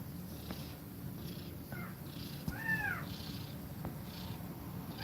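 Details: Nursing mother cat with kittens, breathing quickly while they feed. Regular soft breath pulses run throughout. One clear, slightly falling mew sounds near the middle, with a shorter high squeak just before it.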